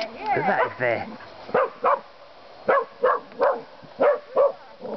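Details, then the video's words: Finnish Karelian Bear Dogs, two animals, baying wild boar; sharp barks repeated roughly every half second, preceded by a brief harmonic yelp and whine, with faint human voice in background. "Kais baying wild boars"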